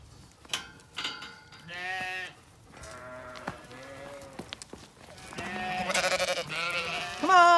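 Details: Zwartbles sheep on a farm in County Kilkenny, Ireland, at the end of shearing day during a heatwave, greeted and called by the farmer; several harmonic wavering bleats from the flock, with short spoken greetings between them.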